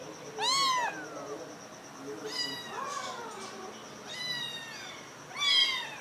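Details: Several kittens, adopted along with their mother, making small high-pitched meows: a few short arched mews spaced a second or two apart, with quieter softer mewing between them and a faint steady tone in the background.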